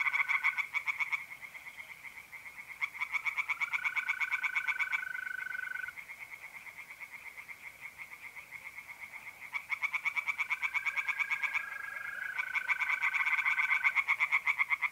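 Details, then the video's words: Tree frogs in a north-east Italian pond on an April night call in bursts of quick, rattling croaks separated by quieter gaps, with several mole crickets trilling steadily between and beneath the bursts. "relaxing singing tree frogs in pond"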